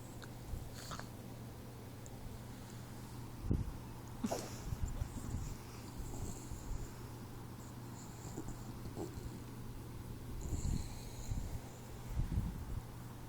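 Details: Troy, a 4-month-old Boxer puppy, snoring in sleep: deep, low breathing rumbles with a few louder snorty breaths spaced several seconds apart, against a constant low hum indoors.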